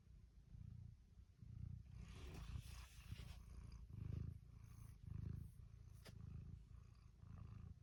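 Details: Domestic cat snoring and purring: low, rumbling pulses that swell and fade about once a second, with soft breathy hiss between them.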